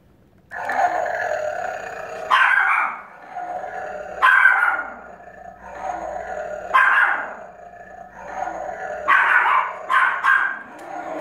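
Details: Pomeranian dog barking at a flashlight that plays animal sounds; sharp bark bursts come roughly every two seconds over a steady, droning tonal background sound.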